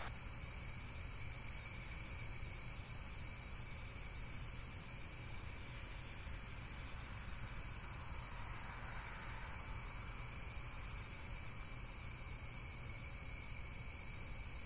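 Steady, shrill insect trilling runs unbroken through the whole recording, with several high pitched voices layered together.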